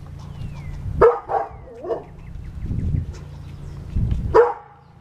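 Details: Pet dog ending an argument with an angry squirrel, giving sharp barks about a second apart early on and a single bark near the end, with low rumbling noise between.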